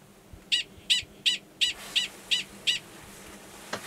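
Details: Mating call of male Gunnison's prairie dog 45 before going underground to copulate, Valles Caldera National Preserve, New Mexico, March 2017: seven evenly spaced, shrill barks about three per second, then silence over a low background hum.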